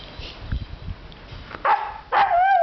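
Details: Husky Cyrus vocalising for his sausage toy indoors: soft shuffling, then two short yelping whines that end in a sustained, slightly wavering tonal whine.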